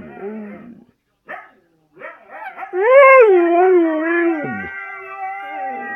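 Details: Siberian Husky giving short broken yelps, then a loud sustained howl that wavers slightly and drops away after about two seconds, leaving a fainter held tone.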